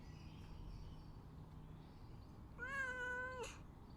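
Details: Cat asking to be let out, giving one clear, sustained meow, level and slightly nasal, lasting under a second and ending abruptly, with low steady hum before and after.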